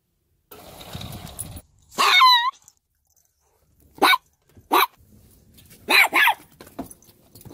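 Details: Abandoned Chihuahua reunited with its owner: one brief high, yelping whine that slides downward in pitch, followed by sharp barks, some single and some in close pairs, with quiet gaps between.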